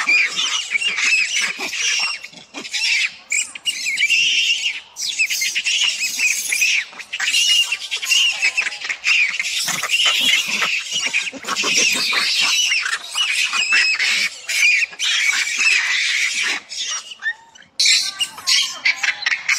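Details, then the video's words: Macaque with its head stuck, calling for its mother to rescue it, gives nearly nonstop harsh, raspy shrieks for about twenty seconds, broken by brief gaps, with rustling and clatter around it. "The stupid monkey got his head stuck and couldn't get out, screaming for his mother to come save him"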